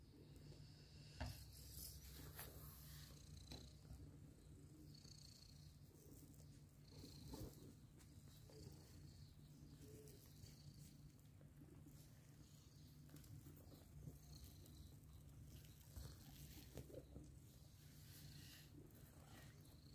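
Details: A mother cat with adopted kittens, heard as a low, steady purring rumble that runs unbroken through the whole stretch, with faint, thin high squeaks and soft clicks scattered above it.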